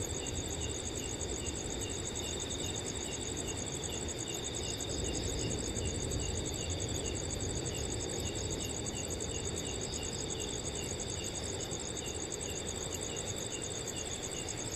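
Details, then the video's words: Cool summer night in a peaceful forest: crickets keep up even, high, finely pulsed chirring in overlapping layers, with a few fainter chirps in between, all over a continuous soft wind rush. "Crickets & Wind Sounds on a Cool Summer Night"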